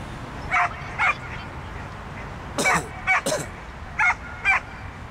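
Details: Pit bull Brave Fighter's Odree during a dog frisbee accuracy contest, "Осенний вальс": six quick yappy barks in pairs, mixed with a couple of harsher, noisy bursts midway, over faint outdoor rumble.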